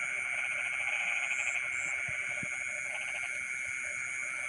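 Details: Rice-field frogs calling at midnight, with two short bursts of quick, buzzy pulsed croaks standing out from a continuous shrill insect drone and a high whine.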